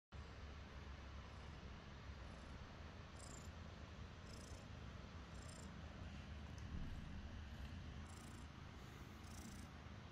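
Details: Glue, a cat about five months old found in the forest, shares an affectionate moment with its dad; a steady low rumbling purr runs throughout, with brief faint high hissy bursts above it.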